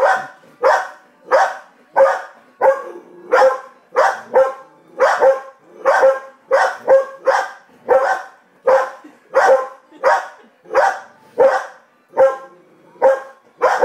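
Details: Pet dog barking at the TV while another dog barks back at it: a long, insistent series of around twenty coarse barks over fourteen seconds, evenly paced and almost continuous.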